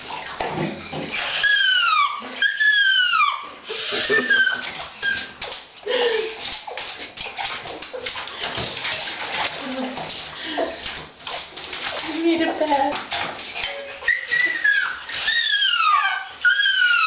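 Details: Female pet dog crying out while being bathed, as it does whenever washed; loud wailing howls with falling harmonic tones, interrupted by splashing water and a person talking.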